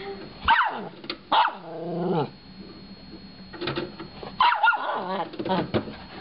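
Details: Indoors, the little Shorkie Chewie takes on a DVD player with sharp high yips that slide downward, followed by a descending growling whine, then a pause and more quick yips.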